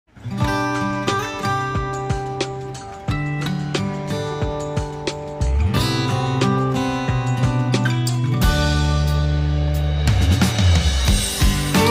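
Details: Strummed acoustic guitar music with a bass line and bright plucked chords plays throughout, growing fuller after the first few seconds.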